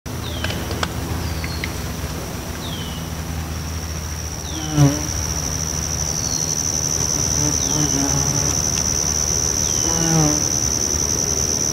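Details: Bald-faced hornets busy at their nest entrance while building out the nest, a steady insect hum with faint passing buzzes and a constant high whine throughout.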